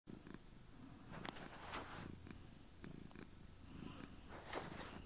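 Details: Domestic cat purring intensely while sitting on a bed with its owner indoors; a steady low rumble runs throughout, broken by soft clicks and rustling bursts.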